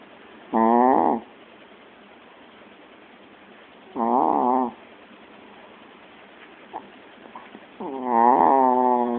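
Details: Loud snoring from a pet Chihuahua: three nasal, wheezy, harmonic snores roughly three to four seconds apart, the last one longest, over a faint background hiss.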